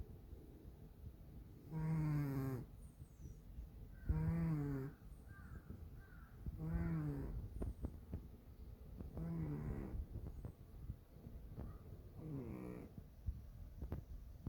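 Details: Dalae, a chubby pet cat, snoring loudly enough to keep its owner awake; five long, harmonic, nasal snores, each about a second long and repeated roughly every two and a half seconds, with faint rustling between.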